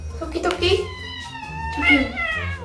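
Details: Pet cats in Korea playing a food puzzle, searching among hundreds of cat-food cans for one opened can; two drawn-out harmonic meows, the second rising then falling, over background music and a person's speech.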